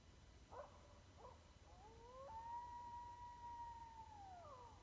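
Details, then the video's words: Coyote in East Texas giving two brief sharp yips, then a long rising howl that holds level for nearly two seconds before sliding downward, over a low steady background rumble. "Coyote calling. Actual video (sound) of an East Texas coyote howling."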